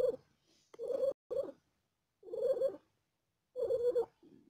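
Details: Mother cat in labour with four kittens, in pain: long rough voiced bursts separated by short silent gaps, some lasting half a second or more, in a quiet room.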